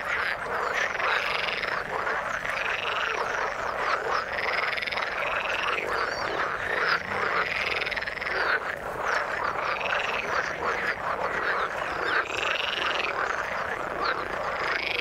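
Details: Frogs in water calling together, arched croaks repeating in regular bursts every couple of seconds over a steady, dense background chorus.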